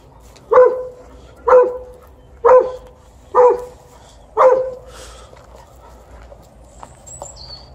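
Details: During tug-of-war play, an Alaskan Malamute lets out five evenly spaced short barks about a second apart, then falls quiet, leaving faint clicks and a brief high squeak near the end.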